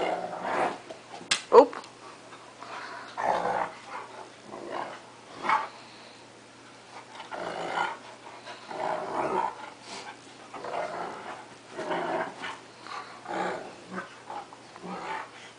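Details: Two pet dogs, a cocker spaniel and a 3/4 wolf, 1/4 Akita, playing: intermittent growls and sharp barks in short bursts spread across the recording, with a human voice urging them on.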